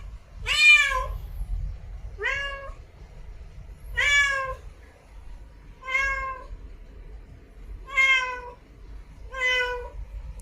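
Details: Repeated cat meows, six clear calls spaced about every one and a half to two seconds, each a short wavering tone with many overtones, the first loudest, over a soft low hum.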